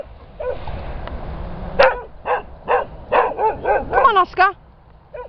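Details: Springer Spaniel at a rescue kennel giving a run of sharp, ringing barks after a quiet start, about eight barks spaced roughly every third of a second, with a person's voice softly heard early on.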